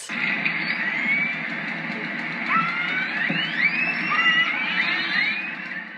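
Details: Killer whales (orcas) trade squealing calls and whistles that sweep upward and bend as they talk to one another with whistles, clicks and calls.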